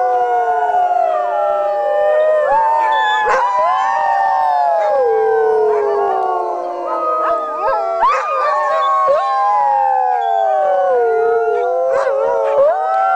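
A chorus of sled dogs howling together, many long wavering voices rising and falling over one another.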